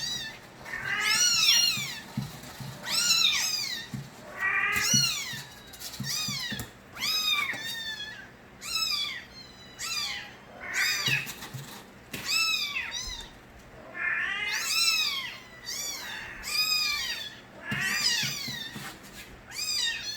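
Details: Street cat Nabi's kittens, recorded as babies, calling loudly: steady series of shrill, rising-and-falling meows, about one every second, with overlapping voices from more than one kitten.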